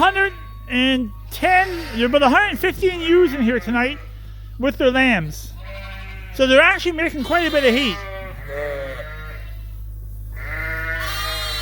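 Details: Escaped Suffolk lambs mingling in a farm barn produce bursts of wobbling bleats separated by short pauses, several lambs calling in turn, ending in a longer steady cry, over a low hum.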